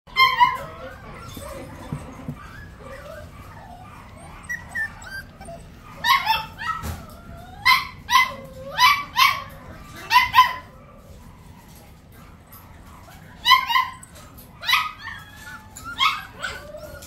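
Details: A curious Bichon Frise gives high, whining whimpers and short yips, some early and then a run of about a dozen bent, rising-and-falling cries clustered in bursts, separated by quiet pauses, with a low background hum.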